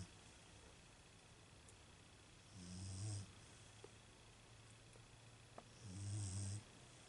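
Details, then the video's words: Female Beagle asleep, giving two deep, raspy snores about three seconds apart, each a short rumbling breath topped with airy hiss, the pauses filled only by faint room noise and a few small clicks. "My Beagle Snoring"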